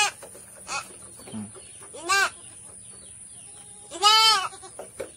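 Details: Goat undergoing a health check in Sambas, bleating twice about two seconds apart, each call a strong, quavering cry over low background noise and a steady high hiss.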